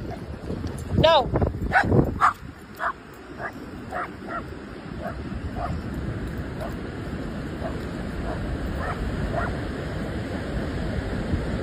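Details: German Shepherd barking while playing: a few loud barks near the start, then softer barks repeated roughly every half second, over steady surf-like background noise.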